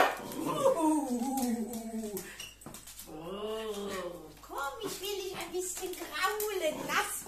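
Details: Miniature Pinscher named Filou objecting to a new broom: a series of wavering, howl-like whines, some rising then falling, others dipping in pitch. A person talks over part of it.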